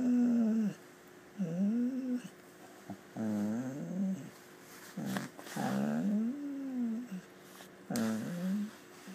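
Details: Gracie, a pet dog indoors, doing her soft "howl whispering" while talking with her owner: low, hushed, wavering moans repeated roughly every one to two seconds, some rising then falling, with faint room noise.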